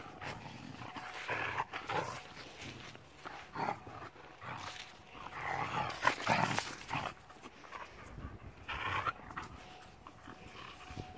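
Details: Female German Shepherd playing tug-of-war with her owner: rough, noisy growl-like bursts in uneven clusters, loudest around the middle, with scuffling and rustling between them.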